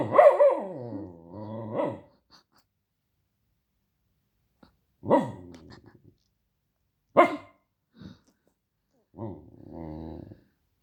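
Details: Protesting dog: an opening wavering yowl and low growl, then scattered single barks with quiet gaps between, closing with a soft rumbling growl.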